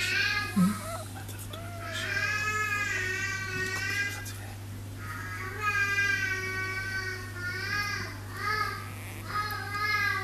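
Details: Newborn Dachshund puppies from a litter of eight (five males, three females) born on 5 May give high, thin squeals and whines, several overlapping in drawn-out bursts.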